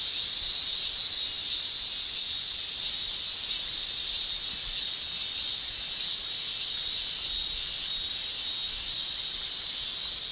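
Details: Male cicadas in Japan during summer, singing with their tymbals. A sustained high, sizzling drone carries on for the whole stretch with only faint swells in volume.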